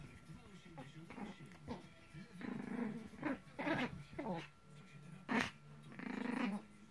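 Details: During a tug game with a rope toy, two Maltese dogs growl almost continuously in rough, pulsing bursts roughly once a second, rising to a sharper loud snarl near the end.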